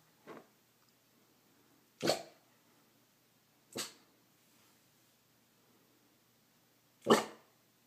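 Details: A male English bulldog barks at his own reflection in a mirror, giving short, gruff single barks spaced a few seconds apart.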